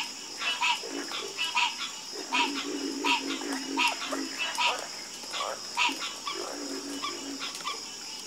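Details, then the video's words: Frogs croaking in a busy chorus: rapid overlapping harmonic calls, more than one a second, layered over deeper throaty croaks and a constant high-pitched hum. "Calming Sound Of Harmonious Frog Croaking"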